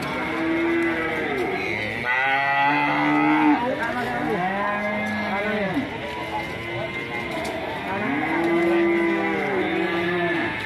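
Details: Angry, aggressive cows on the rampage, panicking their owner: several long, harmonic moos rising and then falling in pitch, overlapping one another almost continuously, with a faint murmur of voices behind.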